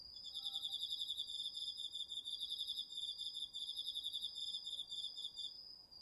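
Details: Garden vegetable patch at night in autumn, crickets and other insects recorded on a DR-40X: a nearly continuous rapid pulsed trill, slightly uneven in rhythm, layered over a high steady ringing note.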